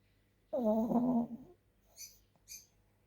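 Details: A sleeping dog snoring: one low, voiced, droning breath lasting about a second, wavering slightly in pitch, followed by two faint short high clicks in otherwise quiet surroundings.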